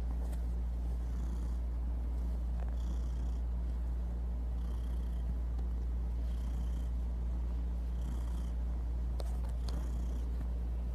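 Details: Purring from Kevin the house cat, a deep unbroken rumble pulsing with each breath in and out, overlaid by periodic airy hissy puffs and a few small clicks.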